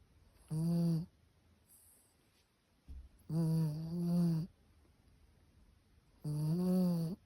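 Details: Sleeping Chihuahua snoring: three tonal, nasal snore bursts roughly every three seconds, each about half a second to a second long with a low buzzy drone and stacked harmonics, faint soft breaths between.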